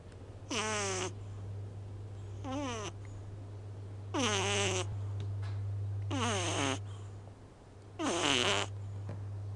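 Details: Small male house cat asleep with eyes half open, snoring loudly for his size: four harmonic, nasal snores with falling pitch, one about every two seconds, over a steady low hum indoors.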